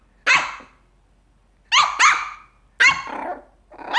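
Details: A Papillon puppy gives sharp, high-pitched barks in short bursts, some doubled, barking at one of the resident cats.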